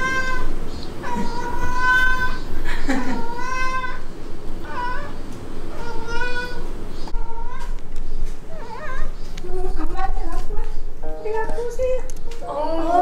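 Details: A Ragdoll cat in a home with eleven Ragdolls, meowing with a sound like "eomma" as it carries a toy to its owner each day. Drawn-out, wavering meows repeat, with background music and people talking.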